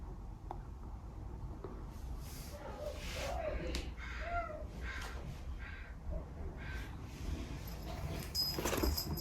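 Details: Female kitten named Sakura, recorded between 16 weeks and 11 months old, giving soft, gentle meows: a few short, arched, whining calls clustered mid-clip, with faint clicks and light shuffling noise between them in a quiet room.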